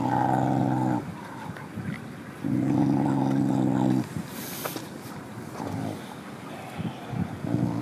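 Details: Mother dog chewing on bones growls low in her throat to warn off another dog approaching, a threat that drives it away; two long harmonic rumbles of about one and a half seconds each, then softer shorter growls, with clattering and chewing noises between.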